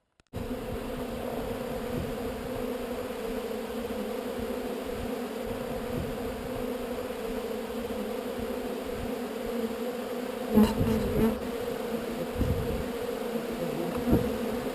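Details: Honey bee swarm being relocated from an undesired location, a dense steady buzz of many bees holding a constant low drone with harmonic bands, brief clicks and knocks near the end.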